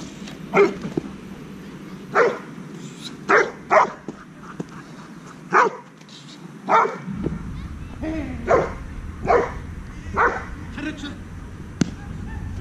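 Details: A 10-month-old Dobermann barks in single loud woofs spaced about one to two seconds apart, with some low background hum.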